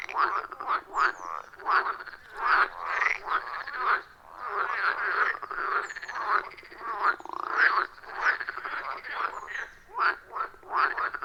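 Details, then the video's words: Many frogs calling around a wild forest pond, captured with an iPhone 14 Pro and Shure MV88+ microphone: continuous rhythmic, grating croaks repeating rapidly, several voices overlapping with short rising notes. "30 Minutes of Frog Sounds at a Forest Pond"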